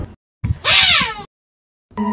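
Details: In Africa, a cheetah cub cornered by a black-backed jackal while its mother is away gives a desperate distress cry, a shrill, strained wail sliding downward over about half a second; the cry brings the mother back.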